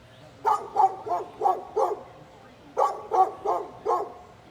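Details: A neighbour's dog barking at someone using a leaf blower; two bursts of four to five quick, sharp barks, roughly three per second, with a pause between bursts.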